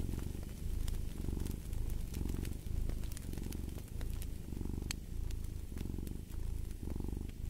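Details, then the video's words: Loud, close cat purr in clear pulses, each inhale and exhale forming a rumbling burst under a second long, with occasional light crackling of a fire. "Fall asleep to the Purring of a Cat"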